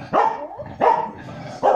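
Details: Two corgis at home react to dogs moving stock on a farm TV programme; three sharp, mid-pitched barks come in quick succession, each a short harsh burst, with a brief yelp-like sound between.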